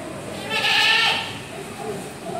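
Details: Mountain goat kept as livestock in a park garden at Gading Serpong, Indonesia, giving a single bleat of about half a second, bright and wavering, over steady background murmur.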